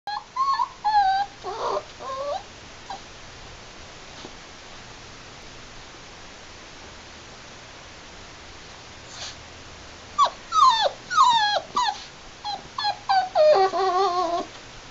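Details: A 7-week-old Labrador puppy, playing, gives high, sliding whines and short howling cries in scattered bursts.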